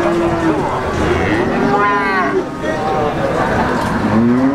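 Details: Peranakan Ongole cattle at a livestock market in Pati, Indonesia, giving several long, tonal lowing moos, one swelling strongly midway and another near the end, over constant crowd murmur.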